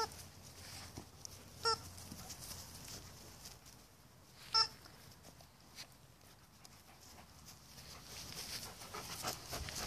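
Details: Two short, high Alaskan Malamute yips, a few seconds apart, over a steady background hiss, as two female Malamute cousins play together in a big yard.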